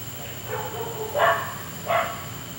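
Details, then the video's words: A neighbour's dog barking at night, keeping the household awake for an hour; two short, sharp barks stand out over a faint, muffled background and a steady high hum. "Noisy Dog"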